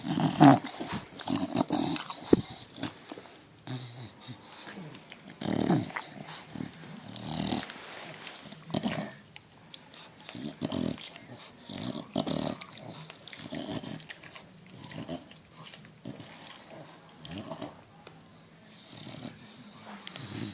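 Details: Four-day-old Bulldog puppy making soft snuffling grunts and brief squeaky whimpers at irregular intervals, indoors in a small room.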